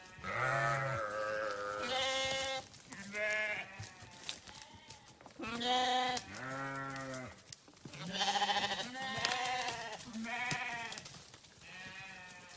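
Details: Grazing sheep on a farm bleat repeatedly, overlapping voices of several animals, some deep and some higher, each a wavering harmonic cry lasting about a second, with quiet gaps between.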